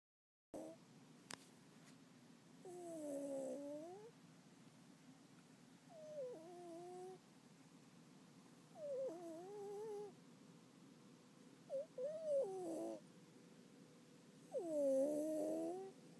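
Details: Domestic cat napping in the daytime, snoring softly with thin, whistly nasal tones. Each snore lasts about a second and repeats every two to three seconds over a faint room hiss.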